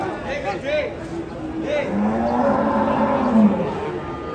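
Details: Giant European-class cattle unloading from a truck: a long, low, steady moo swells in the second half over a murmur of voices and a few brief higher calls early on.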